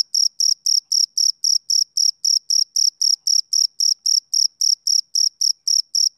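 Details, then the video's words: A male cricket on a summer evening keeps up a regular run of shrill chirps, roughly four per second, each a brief high tone with a faint upper overtone. The background is otherwise silent. "Cricket Chirping Sound Effect"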